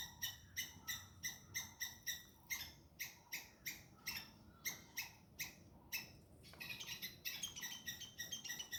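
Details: Squirrels scolding a pursuing cat, filmed with a hidden cam: a rapid run of short, bright barking chirps, loud and evenly spaced, turning into a denser, rougher burst near the end.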